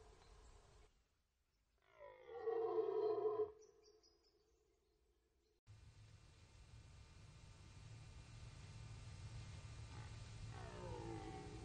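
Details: Rutting red deer at the Orzysz military training ground, archival recording; one short roar of about a second and a half rises out of quiet, followed by steady background hiss and a faint distant call near the end.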